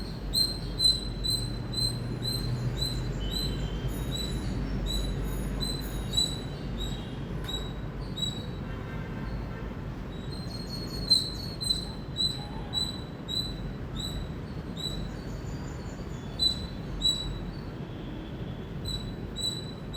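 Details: Loud chirping from an Indian squirrel: rapid series of short, high, whistled chips that come in clustered runs with brief pauses, set against constant low background rumble.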